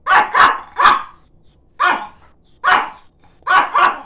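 A Chihuahua barks in short, sharp bursts, often in quick pairs.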